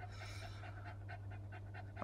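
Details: Female English Cocker Spaniel panting while in labour, giving birth to a litter of five puppies indoors; quick rhythmic breathy pants, about four per second, over a steady low hum.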